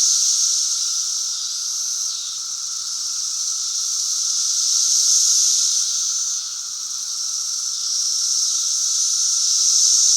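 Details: Periodical cicadas of Brood V calling on May 31, 2016: a dense, continuous high hissing chorus of many insects that swells and fades slowly, with a steady lower buzzing tone beneath.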